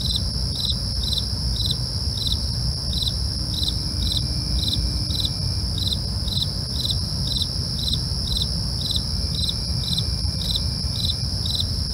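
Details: Crickets at night: steady pulsed chirps repeating about twice a second over a continuous high, ringing insect trill, with a low rumbling background throughout.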